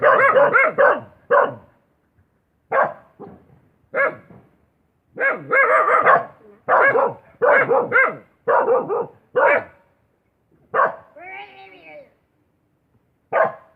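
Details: Dog barking in short harmonic bursts, singly and in quick doubles and triples, with pauses between groups and one longer wavering yelp near the end.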